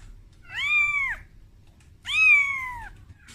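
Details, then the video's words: Kitten named Momo crying for its mother Amora, frightened on its first time taken out of its room; two long, clear arched meows, rising then falling, with a rich stack of harmonics and a quiet pause between them. "Suara Bayi Kucing Menangis"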